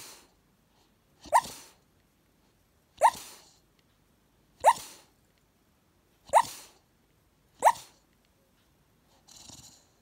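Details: Dreaming Staffordshire Bull Terrier puppy barking in his sleep on the couch: five muffled, clipped woofs spaced roughly one and a half seconds apart, then a faint breathy sound, with near silence between.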